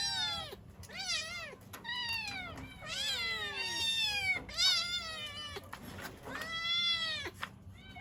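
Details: Kittens crying for their mother, which may mean cold or hunger; high, bent meows overlap in a busy chorus, some short and chirpy, others drawn out and wavering, with brief gaps between bursts.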